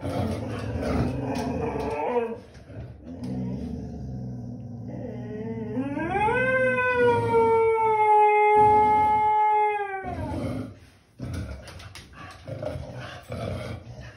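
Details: Springer Spaniel singing, a long howl rising smoothly to a sustained tone held about four seconds before dropping off, with rich harmonics; shorter wavering howls before and broken grumbling sounds after.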